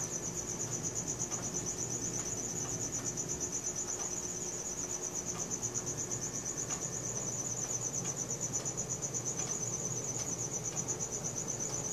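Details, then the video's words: Cricket calling at night, Samsung Galaxy S4 recording: an unbroken, high-pitched pulsing chirp keeps a fast steady beat for the whole stretch, with light scattered ticks and a low ambient drone. "CRICKET SOUNDS | RELAXING SOUNDS OF NATURE AT NIGHT"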